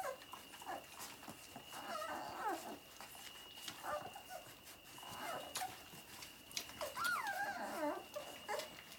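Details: Labrador Retriever puppies at Vărădia while nursing: clusters of wavering, rising and falling whines and squeals, one drawn-out bending cry near the end, with clicks and a steady high electronic tone behind.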